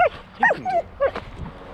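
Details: Border Collie named Jet, out swimming and urged to jump or dive into the water, gives four quick high whining yips in under two seconds, each rising then sliding down, with little background noise.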